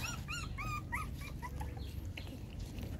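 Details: Domestic dog, a mother nursing her six puppies; thin high squeaky whines rising then falling, repeated several times in quick succession over a steady low rumbling background.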